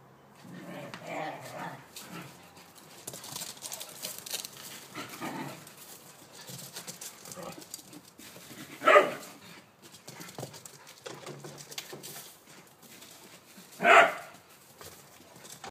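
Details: Playful chase between two whippets, Blu and Digz, in a garden; background scuffling and soft noises, then two sharp isolated barks about five seconds apart near the end.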